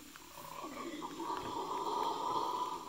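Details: Red howler monkeys in the Amazon Basin of Yasuni National Park, Ecuador, near Napo Wildlife Center, on 21 November 2018, give a steady, droning roar that swells louder over a few seconds.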